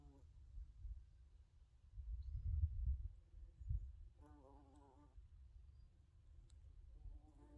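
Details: Bumblebees in a forest in summer give a low, droning buzz that comes and goes over a soft rumble of wind.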